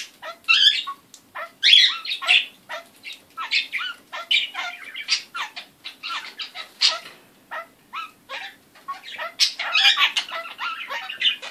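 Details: Captive kakariki parrot producing funny, strange noises: a long series of sharp squawks, squeaks and chattering chirps delivered in quick irregular bursts, roughly two or three notes per second, with brief silent pauses.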